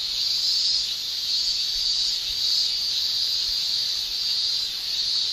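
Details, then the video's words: Continuous shrilling of male cicadas on a Japanese summer day, a bright sizzling tone held without a break and rising and falling slightly in loudness. "Japan Summer Cicada Shrilling"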